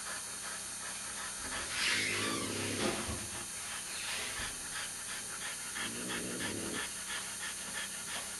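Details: Newborn male French Bulldog puppy, two days old, lying next to his mother and littermates under a heating lamp, giving quick rhythmic panting breaths with brief squeaky whimpers and a couple of louder snuffly bursts over a constant low hiss.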